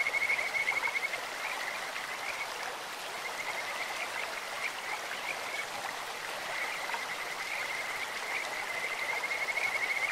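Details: In a clear stream, Kajika frogs give a continuous high-pitched pulsed trill, slightly stronger at the start and end, set against steady rushing water.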